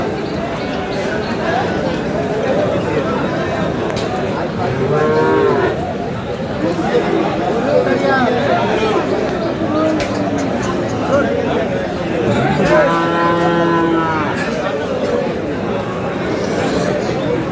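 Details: Crowded Aftabganj cattle market in Dinajpur with Friesian and crossbred bull calves: a short distant moo early on and a fuller, rising moo near the end, largely covered by constant crowd chatter.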